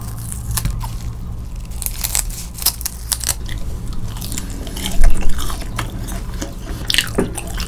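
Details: Siberian husky eating grilled eel indoors, finishing it in under thirty seconds; crunchy bites and wet chewing come in rapid, irregular bursts, with a louder crunch midway, over a low steady room hum.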